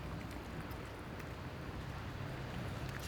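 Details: Steady wind rumble and broadband blizzard noise buffeting the microphone, with no animal voice.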